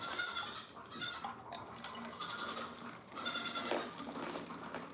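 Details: Goat kids on The Willful Goat Farm & Home during bottle-feeding with milk; a few soft, faint harmonic bleats come in short bursts over a light background hiss.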